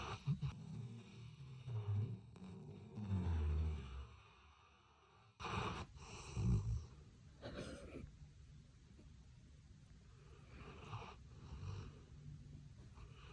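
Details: Labrador Retriever named Daon asleep hugging a toy on an electric heating mat, snoring: low, rough rumbling breaths at irregular intervals, some louder snorting bursts in the middle.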